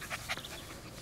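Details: A male Welsh Terrier puppy, 11 weeks old, playing outdoors on grass alongside Kya, a rottweiler mix, gives two soft, airy panting breaths close together, followed by a low steady hiss of background noise.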